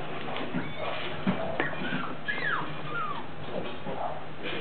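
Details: A corgi at a corgi breeding ground gives thin, high whines that slide downward over a low background rumble.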